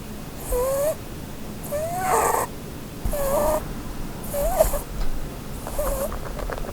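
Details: Sleeping female Holland Lop rabbit beneath a Christmas tree, dreaming and snoring: five thin whistled squeaks with airy breaths, spaced a little over a second apart, the later ones more rattly and uneven.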